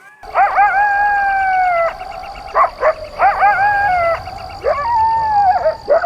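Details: Jackal vocalizing, a mix of bark and howl: high sustained wavering howls sliding downward, broken by short sharp yelps, with a steady high electronic tone running behind.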